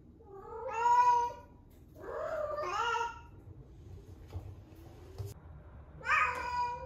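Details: Eleven-month-old female rescue cat in her first heat, calling indoors: a loud wavering yowl, a rougher strained meow, then a fainter cry and another loud call near the end, with quiet room noise between.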